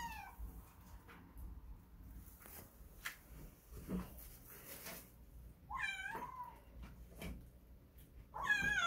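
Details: Young stray kitten crying out for its mother Kkandol: two short high meows, one mid-clip and one at the end, over soft rustling and tapping.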